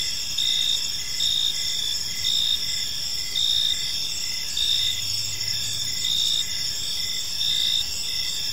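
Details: Crickets chirping in a park on an evening, a steady high trilling chorus with pulsed bursts recurring roughly once a second over a constant insect drone, a faint low rumble in the background.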